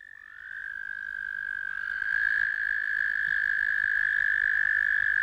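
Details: American toad giving a long steady musical trill, a sustained high even tone that swells in loudness over several seconds and holds without a break to the end.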